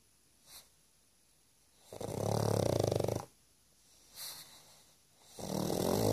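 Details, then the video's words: Pug asleep and snoring loudly indoors; long rasping, buzzy snores of about a second each, separated by quiet pauses and short softer exhaled puffs, two big snores in total. "Loud snoring pug"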